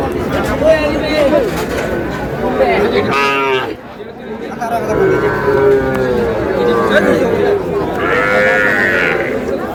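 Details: Young bulls and heifer calves at a market in Faridpur, Bangladesh, on 15 May, giving several long, wavering moos over steady bargaining talk and crowd chatter, with a short lull midway.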